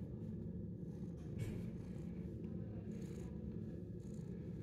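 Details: Steady, deep, pulsing purr from a ten-month-old shelter cat enjoying attention, an unbroken low vibration with a few soft higher rustles near the middle and end.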